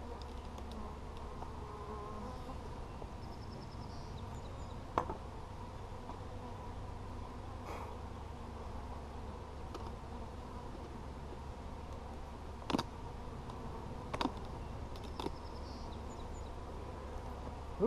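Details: Colony of honey bees buzzing steadily while their hive is worked on 17 July 2020; an even, low humming drone with occasional loud taps and scrapes of frames being lifted.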